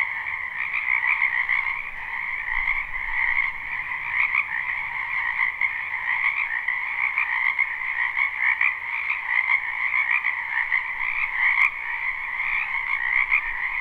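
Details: A crowd of frogs croaking in a wetland in spring, recorded live: continuous high, buzzing trills overlap into a constant drone with faint beat-like pulses, plus one brief click near the end.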